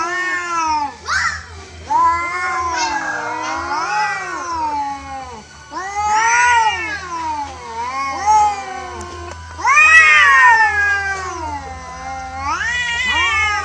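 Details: Natural brawl between free-roaming cats, an orange one on the losing side; two voices trade long, wailing, rising-and-falling yowls, some strained and screaming, several overlapping, with brief gaps and a constant low hum.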